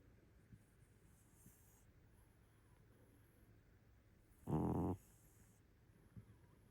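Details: A sleeping cat snoring: a single short, loud, rough snore with stacked low harmonics, surrounded by quiet room hiss.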